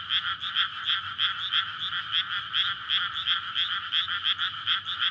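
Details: May night in a flooded rice paddy where frogs gather to court and breed; a dense, high rattling chorus of quick repeated croaks, pulsing several times a second with no break.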